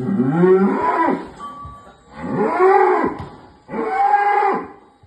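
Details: A one-ton jumbo cow destined as a Kurban sacrifice for Eid al-Adha, 2024, lows three times in a row, each moo about a second long, deep, drawn-out and harmonically rich, separated by short pauses.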